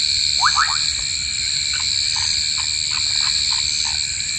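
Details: Southern foam nest frog in a pond, where a giant water bug captures one: short rising chirps, a quick cluster of three then scattered single notes, over a steady loud drone of insects at several pitches.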